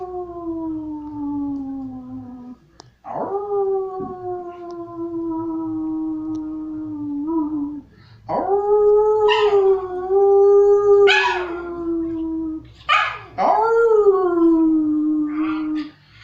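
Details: Pet dog encouraged by its owner to bark and talk, instead giving drawn-out howls, several sustained falling notes of a few seconds each, some breaking upward in pitch then sliding back down.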